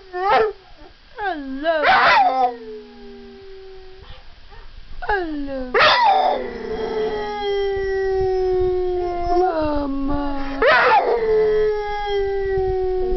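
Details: Pet puppy "talking" to his owner, as if saying he loves her: drawn-out, wavering howls with sliding pitch, loud rising yelps around two, six and eleven seconds, with the owner's voice faintly in between.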